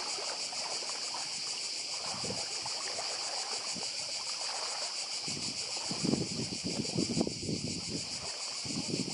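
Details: Shrill pulsing drone of cicadas on Badija island in Croatia, 2024, steady throughout, while lapping sea waves and splashes swell louder in the second half.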